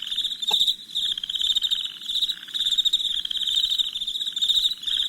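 Crickets chirp steadily at night in a dense, high, pulsing trill.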